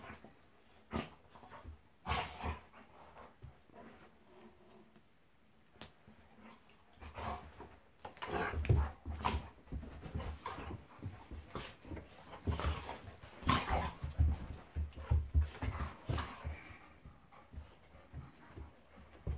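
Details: Golden Retriever Monty and Labrador Eric play fighting at home: a few isolated grunts and thumps at first, then a quiet stretch, then a long rush of rapid rough growls and snarls that keeps going to the end.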